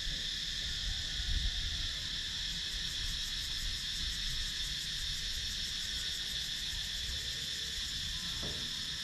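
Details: Countryside woodland in Sakon Nakhon, Thailand, with cicadas filmed on a GoPro Hero 9 action camera; an unbroken, dense high-pitched buzz with a faint rapid pulsing, over soft low background rumble and a brief sharp tick near the end.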